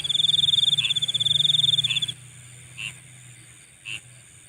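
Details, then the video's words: Night-time insect calling: a high, rapidly pulsed trill runs steadily for about two seconds, then stops, leaving two short, soft high chirps spaced about a second apart over a faint low hum. "Nighttime Insect Sounds"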